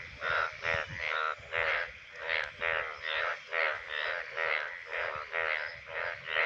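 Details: Indian bullfrog, a rain frog of the monsoon, with males calling from shallow water during the breeding season: loud, rough, pulsed croaks repeated steadily about every half second, each one buzzy and harmonic-rich, forming a continuous throbbing series.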